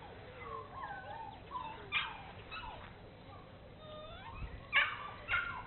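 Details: Bernese Mountain Dogs Mrs. Red and Mr. Green from Cape Bernese Kennel exploring, giving thin high whimpers and whines that slide up and down, with a few sharper yips near the end over a soft background hiss.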